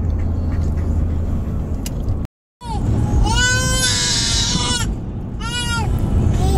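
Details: Tonka, an Alaskan Malamute, whining on a car trip, restless and eager to arrive: high, wavering whines with rising and falling harmonics in two bursts over steady road and vehicle noise.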